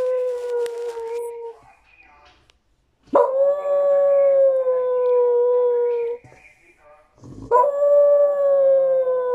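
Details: Crying for a tamal, a dog repeats long steady howls of about three seconds each, separated by brief pauses; each begins with a sharp attack and holds a level pitch with strong overtones.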